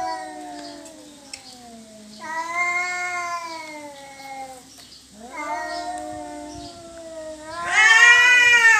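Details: Cats squabbling over territory in a yowling standoff: sustained, slowly descending moaning howls of several seconds each, then a sudden loud rising scream at the end.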